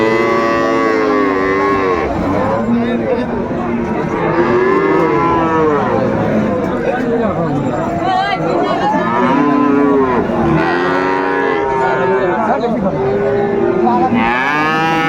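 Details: Cattle lowing at Raniganj market in Dinajpur, on 2 May 2024, where Friesian and cross-breed bull calves are sold; many overlapping drawn-out, arching moos rise and fall through the clip over steady crowd murmur.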